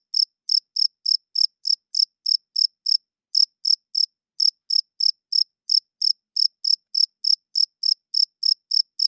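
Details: Crickets chirping loudly at night: clean, high-pitched chirps with a harmonic overtone, repeated steadily about three times a second, one brief pause near three seconds, on a silent background.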